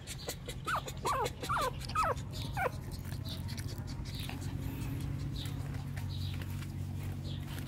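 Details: A new litter of Shih Tzu puppies from 2014 gives about five quick, high, downward-sweeping whines in a row, then falls quiet, leaving only a steady low hum.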